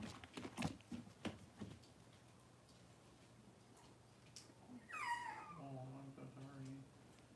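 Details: Six-week-old Cavalier King Charles Spaniel puppies from Robin's litter in a puppy pen, being dewormed and having toenails trimmed; one high whine slides steeply downward, then a lower drawn-out tone follows, after brief human speech and handling clatter.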